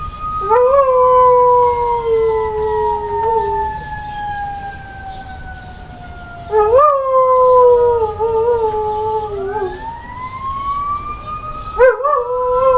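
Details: Pet dog, a female, howling along to passing fire truck sirens: long sustained tonal wails that slide slowly downward, with sharp rising yelps at breaks around 7 and 12 seconds; faint siren tones underneath.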